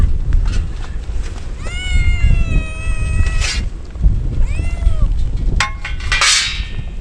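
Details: Rain-drenched stray kittens crying as a typhoon nears; a long, level, strongly harmonic wail lasting nearly two seconds, then a shorter falling meow and a brief cry, with constant heavy rain and low rumbling underneath.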